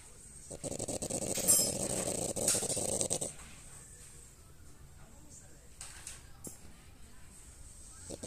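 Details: French Bulldog snoring while sleeping indoors: a rough, rattling snore runs for about three seconds, then fades to quiet room noise with a few faint rustles.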